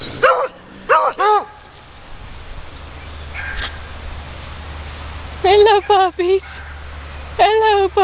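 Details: Puppies encountered on a walk let out clusters of two or three high, ringing barks, separated by quiet stretches with low hum and a person speaking.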